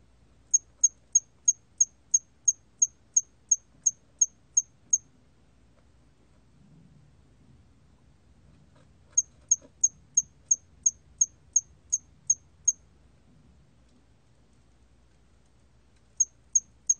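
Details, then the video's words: Hairy cricket, recorded in 2020 in Korea: bursts of about a dozen sharp, very high chirps at a steady quick rhythm, separated by pauses of several seconds, with a faint low rustle between bursts. "털귀뚜라미, 1번 듣기, 곤충소리"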